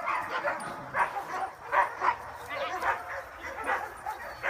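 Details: Dogs in a protection training program out on a woodland walk together, Giant Schnauzers, Dobermans and German Shepherds among them; short barks recur roughly once a second amid a general background of other dogs.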